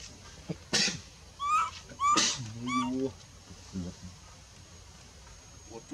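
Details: Baby monkey in the Bayon area crying as her mother pushes her away and refuses her milk: high, thin wavering whines, some sharp and clipped, alongside lower harmonic moans and scattered voices.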